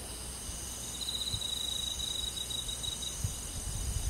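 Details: Crickets and other forest insects on a summer night: a steady pulsed trill held at one high pitch for about two seconds, over a constant shimmering whine of more insects higher up.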